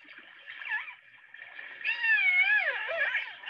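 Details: Killer whale; calls; communicating with one another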